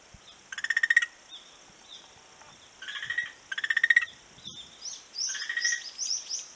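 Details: Beach frog, 11 March 2017, giving three rattling pulsed calls a couple of seconds apart, each a quick train of rapid beats, over soft background hiss and faint high chirping.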